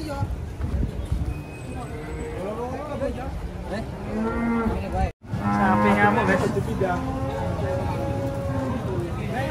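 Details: Agitated cattle being unloaded from a truck: several low, drawn-out harmonic moos rising and falling, the loudest in the second half after a brief dropout, over a steady rumble of crowd noise and background music.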